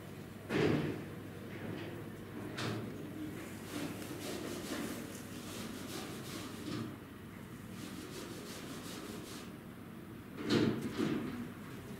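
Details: Two sharp knocks, like a drawer or sliding door closing, stand out over a steady low murmur and faint rustling indoors. No animal voice can be picked out.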